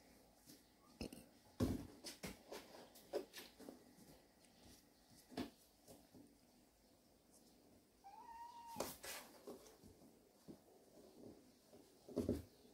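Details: Cat from a family of cats resting in a warehouse, giving a single short meow, a brief level tone that bends slightly, among scattered clicks, knocks and rustling in a quiet indoor space.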